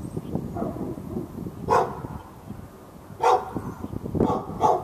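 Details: A pet dog behind a backyard fence in Raleigh, North Carolina, barking at the dog next door on February 15, 2012, during hours of nonstop barking. Four sharp, mid-pitched barks come at uneven gaps over a low steady background rumble.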